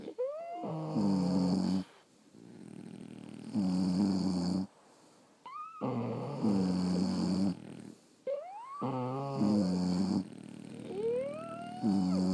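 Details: Sleeping French Bulldogs snore in a room, each breath a buzzy low drone lasting a second or two, broken by whistling upward squeaks and brief silent gaps, steady rhythm around twenty breaths a minute.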